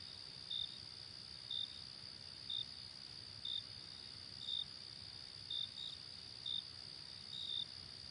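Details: Crickets in nighttime ambience: unbroken high-pitched trilling with crisp short chirps about once per second, a few coming as close doubles, and soft low noise beneath.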